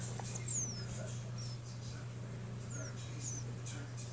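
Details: Gerbils meeting and interacting for the first time, giving several thin high squeaks that slide downward, brief and scattered, over a steady low electrical hum.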